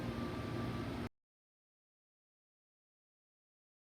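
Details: About a second of low traffic-like rumble and hum, then silence, with no animal voice.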